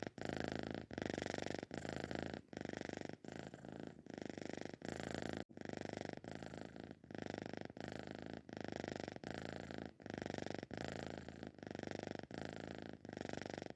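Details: A sleeping cat gives a long run of rasping, purr-like snores, breath after breath about every 0.7 seconds with tiny gaps between, steady and even throughout.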